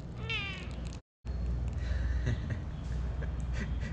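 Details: Domestic kittens meeting an iguana kept in a jar in an orchid garden for the first time; a short, thin, rising-then-falling meow sounds early, followed by a brief cut and low background hum with faint rustling.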